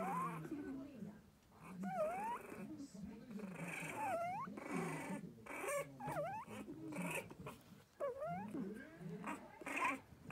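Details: A newborn litter of four French Bulldog puppy siblings gives thin, high squeaks that rise and fall, with people talking softly underneath.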